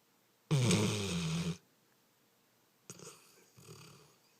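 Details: Dog snoring indoors: a loud, rough, low rattling snore lasting about a second, then a quieter, breathy second snore after a short pause.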